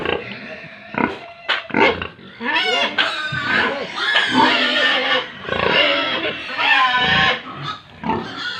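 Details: Pigs and piglets on a farm in Tripura, calling together in a dense chorus of harmonic squeals and grunts, some rising and falling in pitch, overlapping almost continuously with brief noisy bursts.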